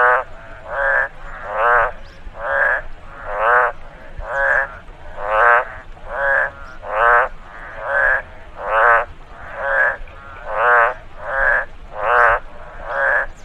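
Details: Frog calling in a rice field after rainfall: a steady series of harsh, nasal, harmonic croaks, each about half a second long, repeated roughly every second with short gaps, over a faint low background hiss.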